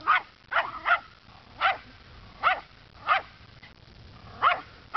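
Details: Rufus, a dog, telling off a neighborhood scarecrow in his regular afternoon routine: seven punchy barks spaced irregularly over five seconds, some doubled, over quiet low background noise.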